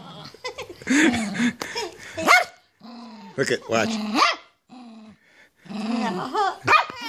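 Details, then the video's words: Blind old poodle being teased, giving sharp yelping barks and rising whines in short bursts, mixed with a person's coaxing speech and laughter close by. "Messing with my sisters blind old poodle"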